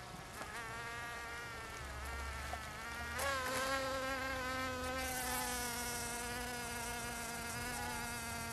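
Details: Bees in the Finistère region of Brittany, western France, buzzing steadily; a lower drone runs throughout while a higher buzz slides upward around the third second and grows louder, then settles.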